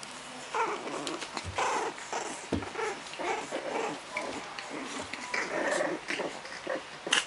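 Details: French Bulldog puppy growling in playful, uneven bursts, with low rumbles and a few short whimper-like yelps over several seconds, amid handling noise and rustling.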